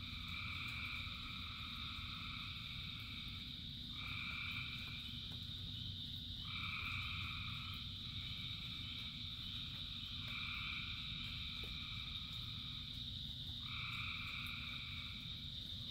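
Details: Frogs singing en masse during rain, steady high-pitched droning with louder buzzy trill phrases breaking in roughly every three seconds, over a continuous low wash of rainfall.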